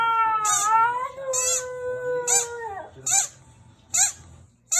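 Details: Squeaky toy sets off Luna, a Husky-Samoyed mix: one long howl slides gently downward for nearly three seconds, then short, shrill toy squeaks follow at about one-second intervals.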